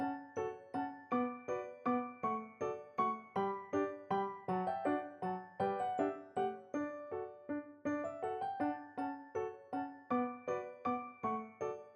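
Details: Gentle piano music plays in a steady, repeated rhythm of notes, with no animal voice heard.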